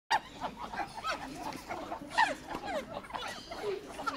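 Monkeys chatter with overlapping squeaky, tonal squeals and short yelps.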